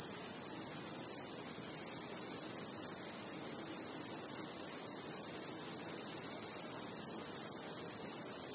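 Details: Crickets at night producing a constant, shrill, rapidly pulsing trill, many callers merged into a seamless high chorus.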